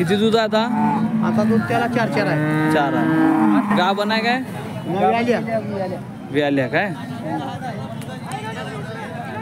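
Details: Holstein Friesian cattle mooing at the Peth Vadgaon cattle market, Maharashtra, India. A long, steady low moo lasts about four seconds, followed by shorter overlapping lows, while people chatter in the background of the busy market.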